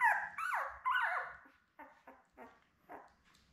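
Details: Newborn Labrador Retriever puppies, a litter of seven born May 24, 2021, with their mother Belle on a live puppy cam, June 4: three loud, whiny yelps sliding downward in pitch, then four softer, shorter whimpers trailing off.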